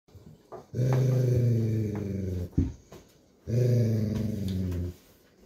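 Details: A Golden Retriever father gives two long, deep, rumbling growls telling his over-excited young puppy daughter playtime is over, normal parental discipline.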